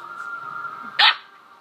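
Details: Female corgi playing alone in her bed when bored; one sharp, bright bark bursts out after a steady background tone, then quiet.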